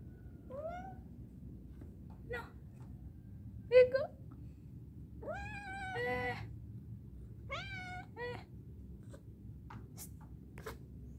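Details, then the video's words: Scared to climb down after an easy ascent, a cat meows repeatedly: short rising mews early, then a long wavering, harmonic-rich wail and another arched meow, with clicks and faint thumps between calls. "Going up is easy but going down is scary"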